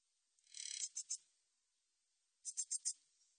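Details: Min's bush cricket calling, National Institute of Biological Resources recording from 2020: a brief pulsed buzz running into two separate ticks, then after a pause a row of four clipped chirps, all high and thin.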